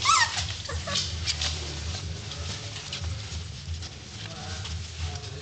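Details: Eighteen-day-old puppies from the litter of Gracie and Goose give short, high, wavering squeaky whines near the start and again around one second, then quieter scuffling and rustling over a steady low hum.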